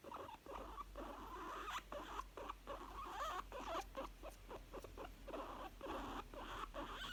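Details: Happy young female guinea pig chutting in contentment, a steady stream of short breathy pulses mixed with small rising and falling squeaky wavers, all soft and close.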